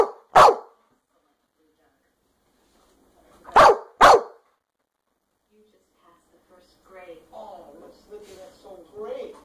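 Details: American Staffordshire Terrier giving one sharp bark, then after a silence two more in rapid succession, followed by a person talking.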